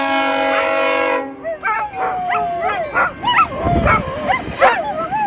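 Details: Poodles respond to a train whistle: a long steady whistle blast gives way to the dogs' wavering, looping howls, with a short noisy thump partway through.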